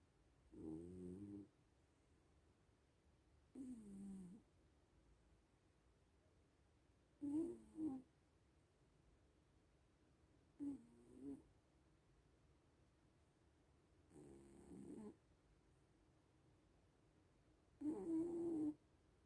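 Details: Snoring from sleeping little cats: six regular breathy rumbles, some doubled, recurring about every three seconds against near silence.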